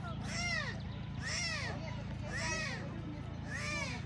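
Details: Four arched, rising-and-falling mewing cries, roughly one per second, come from tiger cubs left by their mother at Taigan lion park, Belogorsk, Crimea. There is low mechanical hum and faint talk.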